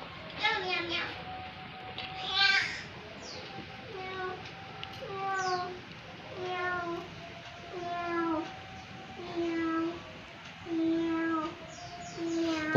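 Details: Domestic village cats (kucing kampung), several non-pedigree pets named Boba, Amy, Clow and Milent, kept at home in Indonesia, giving a run of about nine drawn-out, bending meows, one every second or so, while people talk softly nearby.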